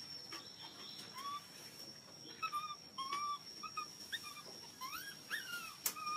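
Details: Hungry baby monkey crying loudly for milk: repeated short whistled squeals, some rising and some falling, coming in quick irregular bursts throughout, with faint clicks and a steady high background hum.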